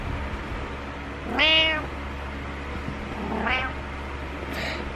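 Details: Two bright, arching meows from Butters, a domestic cat, during his morning meowing, the first loud, the second softer about two seconds later, then a brief high squeak, over a steady low room hum.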